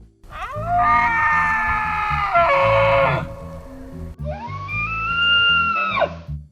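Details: Male elk bugling in the fall mating season to intimidate rivals or attract a female; two long, high, whistled bugles that rise sharply and hold before dropping, over a bed of low, pulsing grunts.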